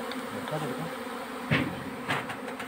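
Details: Honey bees humming around a hive at February honey harvest time, a continuous buzz with a few sharp knocks or clicks and a brief spoken word.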